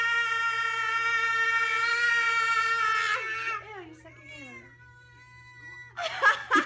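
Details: Domestic cat giving a long, steady, drawn-out yowl for about three seconds, followed by shorter wavering meows that slide downward, then a burst of rustling and thumping noise at the end.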